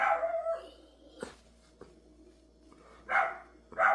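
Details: A dog barks: a drawn-out, slightly howling bark opens, then after a stretch of quiet two short sharp barks close the passage, with a constant low hum behind.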